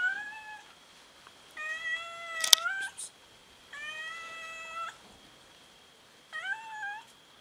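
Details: Domestic cats fighting each other over food, giving long level meows that hold steady for around a second, four separate calls spaced by pauses, one interrupted by a sharp click, the last rising then falling.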